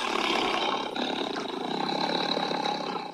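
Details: Tiger, named as a natural predator of the gaur in the forests of Thailand: a harsh, rasping, broadband roar that holds steady for about three seconds, briefly dips near the one-second mark, then fades at the end.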